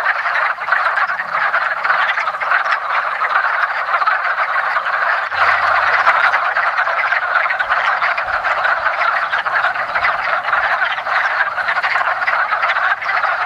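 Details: Chorus of wood frogs mating in a woodland pond in early spring; many overlapping rapid croaks form a steady rattling din, with a faint low rumble around the middle.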